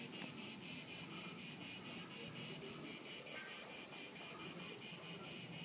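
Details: Crickets at Haut-de-Cagnes, France, in 2013 chirp in steady pulsing bursts, a bright high trill repeating about twice a second.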